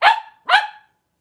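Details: Cavalier King Charles Spaniel in a home puppy pen at Red Barn Cavaliers, with mother Paris and her five blenheim puppies born at New Year's: two short, sharp barks about half a second apart, each falling away quickly, then quiet.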